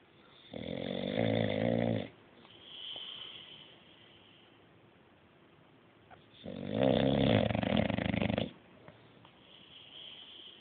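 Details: Deeply asleep, the English Bulldog Bruce gives two coarse, vibrating snores roughly six seconds apart, each lasting one to two seconds, with softer wheezy exhales in between.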